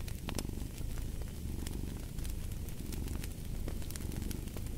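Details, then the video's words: Low rumbling purr of a cat, steady and throbbing, mixed with crackling fire and occasional bright pops from a fireplace. "Fall asleep to the Purring of a Cat & Fireplace"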